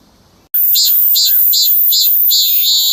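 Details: Midsummer cicadas singing, with calls said to differ in volume and tone. A loud, shrill, continuous drone throbs with a rhythmic pulse about every half second.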